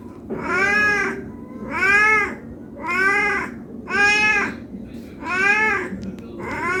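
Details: Hungry domestic cat meowing non-stop for food; six evenly spaced, rich harmonic meows, each swelling and fading over about half a second, recurring roughly every 1.1 seconds in a quiet indoor setting.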